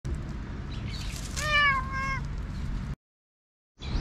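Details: Stray black cat that was teased and struck back, giving one drawn-out, strongly harmonic meow that wavers and falls slightly, lasting under a second, over steady low outdoor rumble, followed by a brief dropout to silence.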